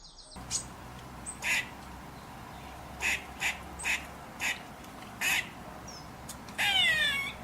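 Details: A grey squirrel in the UK gives harsh, rasping barks in short repeated bursts as an alarm call. Such calls often come from high up in trees.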